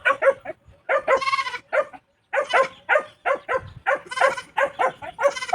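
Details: Newly bought goat in La Union, Philippines, bleating in rapid bursts of short nasal cries, several per second, with a brief pause midway, near a closed farm gate.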